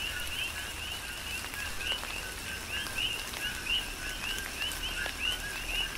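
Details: Rain-soaked night chorus of coqui frogs on Hawaii's Big Island: distinct upswept chirps repeating roughly every half second, paired with lower notes, from several callers, set against a hiss of rain and occasional loud drops.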